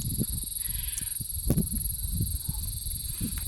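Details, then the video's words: Kuliglig heard along a mountain trail on Mt. Kulis and Mt. Sambong in Tanay, Rizal, amid the sounds of nature; a continuous high shrill buzzing drone runs throughout, beneath footsteps and a few low voices of hikers. "Anong insekto yung ganyan tunog? Ano yan eh? Kuliglig."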